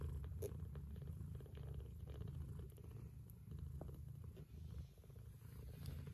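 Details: Tender, continuous purring from a mother cat feeding her Scottish straight and lop-eared kittens. The deep pulsing rumble runs unbroken throughout, with faint soft clicks from the suckling kittens above it.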